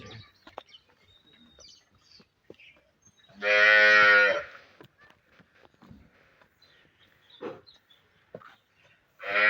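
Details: Friesian cow offered for sale in Pakistan: one loud, drawn-out, harmonic-rich moo lasting about a second, with scattered clatter, faint speech and farmyard knocks around it and another moo starting at the end.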